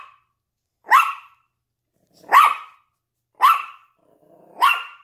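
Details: Barking at a window, a Yorkshire Terrier shares the scene with a Lhasa Apso; four sharp, high-pitched yaps spaced about a second or more apart, each short and bright, with a faint whine before the last.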